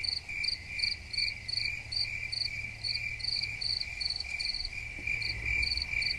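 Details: Crickets keep up a regular pulsing chirp, short bright bursts about every 0.4 seconds, layered over a steady high whine and a faint deep background drone.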